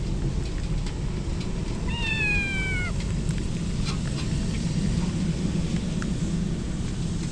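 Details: Stray kitten soaked in rain as a typhoon approaches, crying out once with a drawn, slightly falling meow lasting about a second, set against a constant hiss of heavy rainfall.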